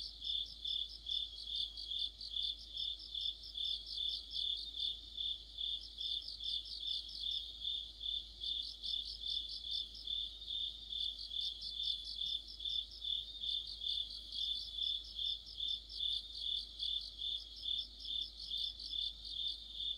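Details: Several crickets sing together in the depth of autumn. A constant high ringing tone is overlaid by chirp pulses in regular swells, about two to three per second, with groups of chirps fading in and out.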